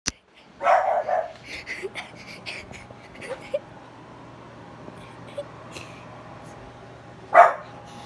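A French Bulldog gives a hoarse, throaty bark, with a second sharp bark a few seconds later.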